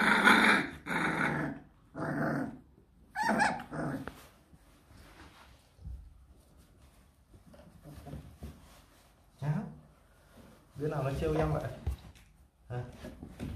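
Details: Four 26-day-old Rottweiler pups, offspring of Loki and Siro, at their first weaning meal: a run of loud, throaty growls in the opening seconds, then quieter grumbles and a final cluster of growling near the end, with faint human voice.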